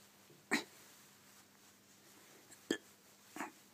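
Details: A male Shiba Inu, lazy and refusing to leave his bed through an open door, gives three short, sharp vocal bursts like clipped yips or grunts, spaced irregularly; Shiba Inu.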